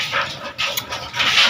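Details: Angry household dogs barking at a man during a mealtime, giving a short run of sharp, bright, noisy barks with little low-pitched body and background room sounds.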